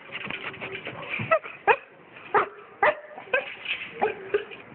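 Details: A 1.5-year-old Basset Hound, described as a very playful and affectionate 40-kilo 'puppy' being given away in Santiago, gives a run of short whining yips and whimpers, several sharp bursts spaced about half a second apart, over low room noise.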